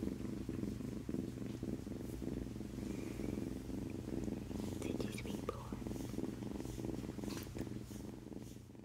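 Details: Close, steady low purring from a male domestic cat, rhythmic rumbles following its breathing, with rustling and a few faint voices or handling noises mixed in.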